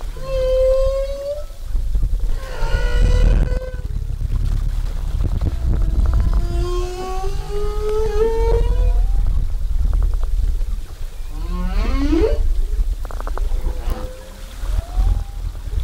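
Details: Humpback whale song recorded underwater at Zamami, 2018, on a whale-watching trip: a run of tonal moans and whoops, some steady, some sliding upward or wavering, with harmonics, over constant deep rumble of water and engine.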